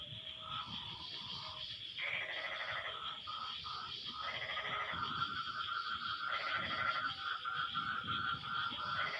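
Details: Several frogs trade harsh, nasal, bleat-like calls back and forth in overlapping bursts a second or two long after rain has stopped; a thin, continuous high insect whine runs above the chorus throughout.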